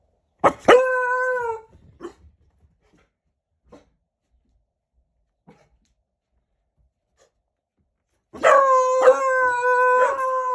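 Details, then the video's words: Four-month-old Beagle puppies give high, drawn-out howls, each lasting about a second, in two bursts. "Beagle Learns to Howl"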